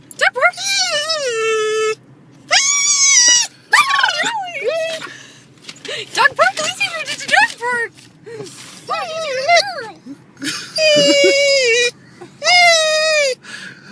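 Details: Excited pet dog arriving at the dog park, giving long drawn-out whining wails that bend up and down, several squealing cries separated by short pauses, with a faint low hum underneath.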